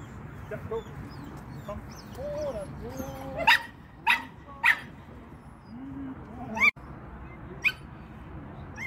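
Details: Shetland Sheepdog at a training lesson, November 2022; a few sharp, short barks and yelps around the middle, with some faint whines, low room noise and a person speaking briefly.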